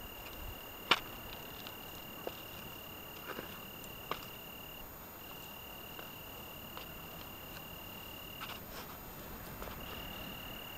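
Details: Italian tree cricket singing on a June evening in the Algarve, Portugal: a steady high continuous trill broken by a few short pauses, with scattered sharp clicks and taps over a faint background hiss.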